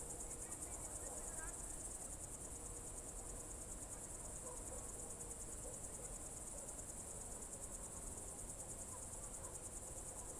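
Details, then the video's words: Crickets singing on a summer evening, June 2023, at Novye Buregi in Novgorod Oblast: an even, high-pitched pulsing trill runs without pause, with a few faint scattered chirps and a quiet low hum beneath. "Звуки природы , сверчки"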